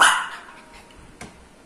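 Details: Lhasa Apso dog reacting to the doorbell: a single loud, sharp bark opens and fades quickly, followed by a faint softer yap about a second later in a quiet room.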